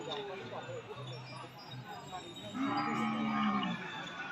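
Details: At a weekly cattle and buffalo market in Udon Thani province, Thailand, January 2022, a steady mid-pitched moo lasting about a second sounds after quieter background murmur and faint lower tones.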